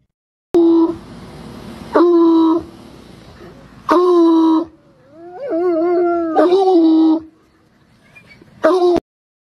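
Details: Bloodhounds howling out of excitement as a form of communication: several abrupt, loud, level howls of one to two seconds alternate with a wavering, rising and falling whine, over low background hiss.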